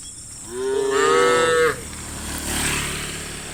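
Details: A cow in a herd walking home to the farm pen at sunset gives a single long, rising moo with a rich harmonic tone.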